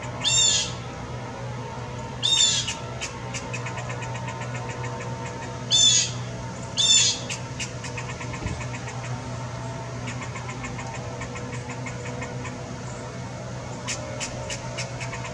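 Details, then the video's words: Anxious squirrel repeating short rasping calls, four clear bursts in the first seven seconds and fainter ones later, with a low background hum and quick clicking throughout. "Anxious squirrel"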